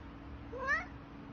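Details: Female domestic short hair cat, aged one year six months, rescued in Selangor, Malaysia after a car accident and missing one front leg, gives a single short rising meow, quiet and indoors, over a steady low hum.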